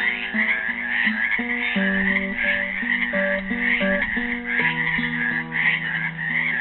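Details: At a pool in Helix, Oregon, on Earth Day 2016, trapped frogs give dense, overlapping pulsed croaks in a rhythmic chorus, mixed with a made-up classical guitar tune played alongside them.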